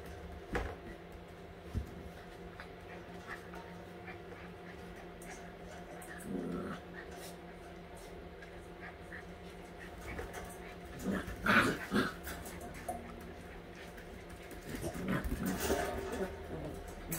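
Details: All-white Husky puppies at eight weeks old during playtime; scattered short whimpers and low playful growls with panting over a steady background hum, busier bursts around eleven seconds and again near the end.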